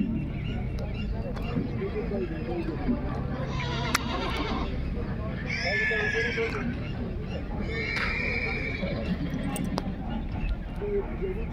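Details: Horse neighing, with a wavering harmonic whinny near six seconds and a shorter one around eight seconds. A steady, heavy low rumble of background noise and some voices run throughout.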